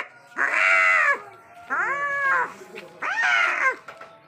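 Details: Angry cats in a deadly fight: three long, drawn-out yowls with rich harmonics, each under a second, rising slightly then sagging at the end, repeating roughly every one and a half seconds with quiet gaps between.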